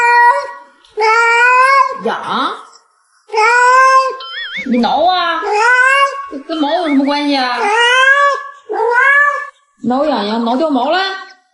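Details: House cat producing a sequence of loud, sustained meows, some bending upward and wobbling in pitch, broken by short silences, with voices overlapping the calls indoors.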